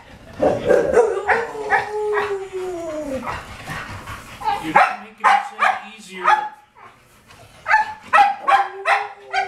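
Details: Excited English Springer Spaniels waiting for their walk: a drawn-out, falling whine opens, then clusters of sharp, high barks and yelps come in short volleys while a person speaks in the background.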